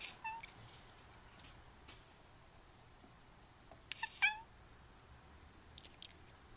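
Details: Domestic cat chattering at a bird on the roof next door, heard indoors: faint, brief bursts of rapid high chirping stutters, the loudest cluster near the middle, with a few quieter short chirps at the start and end, otherwise a quiet room.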